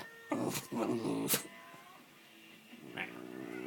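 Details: Norfolk terrier making weird noises, a few short whiny, wavering vocal sounds in the first second and a half, then quiet with a faint murmur.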